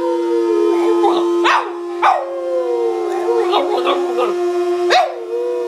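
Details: A Boston Terrier howls, as it does every morning, at the coffee maker while beans grind, giving wavering, yodel-like howls over the steady drone of the grinder.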